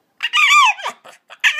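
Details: Boston Terrier begging for a ball indoors, giving drawn-out, strangely tuneful yowls with a wavering pitch and short broken yips in between, then one more rising whine.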